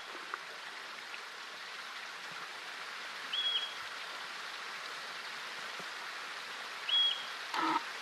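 A yellow-bellied marmot gives sharp, high whistled chirps, spaced a few seconds apart, to warn its colony of danger.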